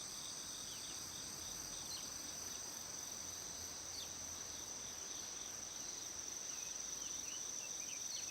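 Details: Cricket chorus at dawn in Shikokuchuo, Japan, about 6:47 on 25 August, recorded for a weather report: a continuous shrill high whine overlaid with rapid, scattered chirping pulses.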